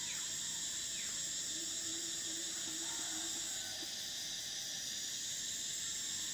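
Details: Cicadas singing in summer, an unbroken piercing buzz that changes tone partway through, accompanied by short sliding bird calls and a faint low whistle.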